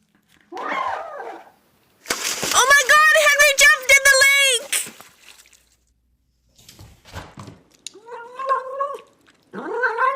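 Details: Domestic cat meowing, presumably wanting attention, food or access to a room: a short wavering call, then a long harmonic-rich warbling meow with fluttering pitch, later two shorter wobbling meows, separated by brief clicks and silences.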